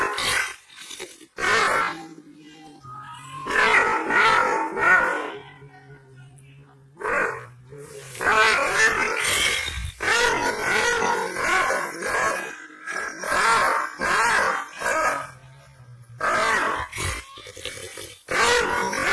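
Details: An angry, aggressive Kangal shepherd dog from Aksaray barks in deep, rough bursts, with growly roars between them.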